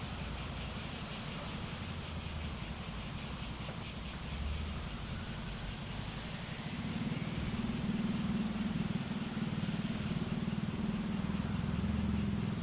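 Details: High, rapidly pulsing cicada buzz continues throughout, slightly throbbing in intensity. A low rumble sits underneath and grows stronger in the second half.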